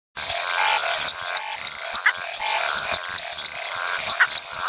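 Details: Map tree frog (Hypsiboas geographicus) calling in the Chiquitania, eastern lowlands of Bolivia, late in the rainy season; dense chorus of rapid pulsed croaking notes, overlapping callers with short sharp clicks scattered throughout.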